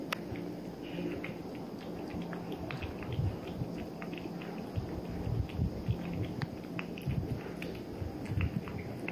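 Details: A 3-month-old Maine Coon Persian mix kitten eating, with soft, irregular crunching and smacking clicks and a low background rumble.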